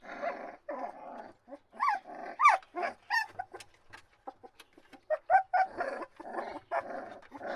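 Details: Puppies whine and cry, with rough, hoarse bursts alternating with clearer rising-falling squeals, irregular and overlapping.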